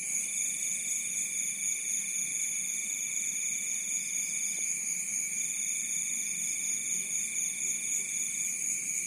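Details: Crickets at night beside a rice field in Bantul, Yogyakarta: a dense, continuous high-pitched trill in several steady bands, unbroken throughout with no other clear sounds.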